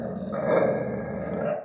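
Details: Dog growl during a bowl dispute in which a tiny Chihuahua bullies a big Pitbull: one steady, low, throaty rumble held throughout, with music faintly behind.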